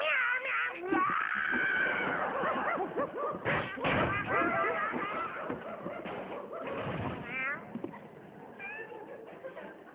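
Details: Cat meowing repeatedly, drawn-out wavering mews overlapping in a busy stretch, with further short rising meows near the end and background chatter.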